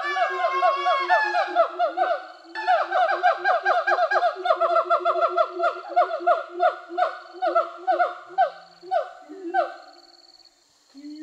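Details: Released siamangs in Sumatra forest, free for over a year after rehabilitation; the female calls in support of the male's territorial song. Rapid series of loud, harmonic, descending barking notes, repeated about twice per second, fading out near the end.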